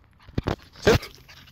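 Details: A Corgi gives short, sharp yips in quick succession while greeting its owner; the owner's dogs greet them this way.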